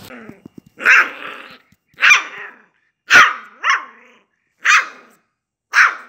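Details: Samoyed puppy giving a series of short, sharp, high-pitched barks and yips, six bursts spaced about a second apart with quiet gaps between, one bark followed quickly by a second rising yelp.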